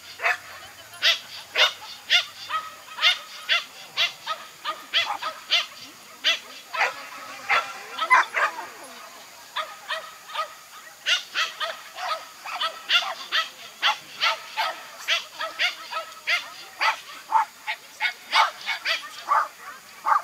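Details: Toy Poodle barking nonstop through an agility run, dozens of quick shrill yaps in rapid rhythm, briefly slowing midway before resuming in fast bursts, with soft crowd noise behind.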